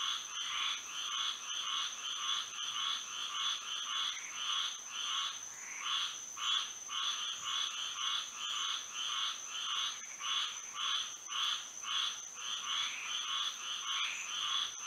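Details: Chorus of frogs singing at night in Florida under the moon, many overlapping croaks in fast regular pulses, some louder bursts, with a persistent high-pitched hum throughout.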